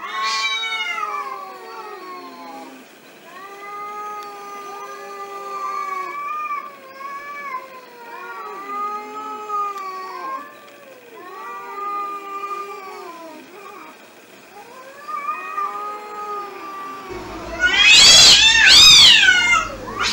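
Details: Stray cats squaring off in a fight, trading continuous overlapping wavering yowls and moaning caterwauls for about seventeen seconds, then breaking into a loud, harsh screeching scuffle at the end.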